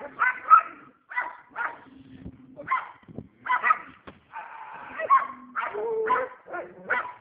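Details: Household dog acting fierce, giving uneven barks, some short and sharp, others drawn out and growly, separated by irregular pauses.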